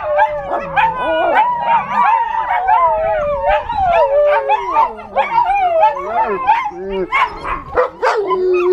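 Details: Eight-week-old American Tundra Shepherd puppies in a group, howling in response to phone sirens; dense overlapping wavering howls mixed with short yips and whimpers, pitch bending up and down, ending in a steady lower howl.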